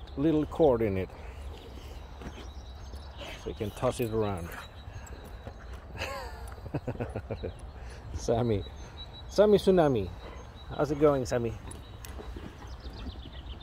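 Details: Boxer dog Rex, a talkative drama queen always in a hurry to play, whines outdoors during ball play. Drawn-out, wavering moans slide down in pitch and come in several separate bouts, while a person talks excitedly about a green ball.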